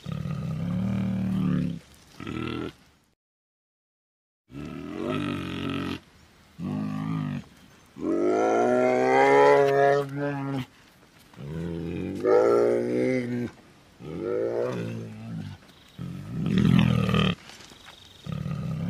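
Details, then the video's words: Bear giving a run of drawn-out harmonic moans and bawls, some rising then falling, broken by short grunts and a brief total silence early on; the calls come in bursts of one to three seconds. "សំលេងសត្វខ្លាឃ្មុំ/Bear sounds 100%"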